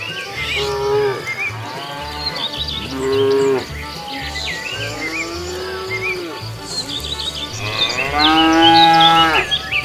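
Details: A herd of cows wandering leisurely along a road looking for food, lowing in overlapping, drawn-out moos, some rising and falling, with the loudest near the end, over a steady low rhythmic thump.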